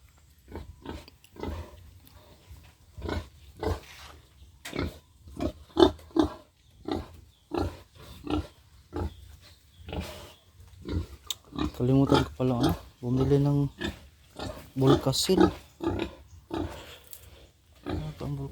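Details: Future breeding sow in a backyard pen grunts in rapid, low, clipped bursts for many seconds. A man's voice joins near the end.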